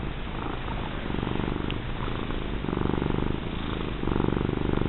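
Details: Pet cat, a fat female, purring as she is rubbed: low vibrating rumble that swells and fades in breath-like cycles about once a second, close and steady.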